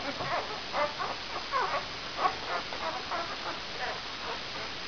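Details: Brown Labrador Retriever puppies, five days old, from the E litter "vom Tannbachtal" out of Benja, make soft, thin whines and squeaks. The cries come in short bursts over a steady background hiss.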